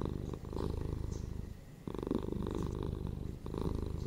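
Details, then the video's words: Domestic cats purring for relaxation, a steady low rumble in long phases broken by brief quieter gaps as the cat breathes in, with a rhythmic pulsing texture throughout. "PURRING CATS"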